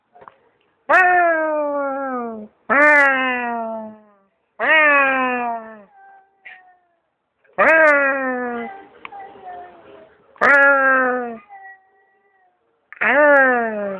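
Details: A stray cat behind an office building answers while being talked to. Six loud, drawn-out meows come roughly every two seconds, each about a second long and sliding slightly downward in pitch, with quiet gaps between them.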